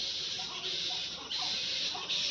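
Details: Black bats in a wooded, natural part of a park in Udaipur, near a railway line, fill the air with continuous high-pitched 'chhi chhi' chittering merging into one hissing chorus, with fainter lower squeals rising now and then.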